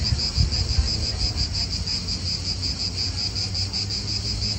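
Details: Cicadas calling in an Italian park: a steady, high, pulsing buzz with rapid beats, over low rumbling wind and distant car noise.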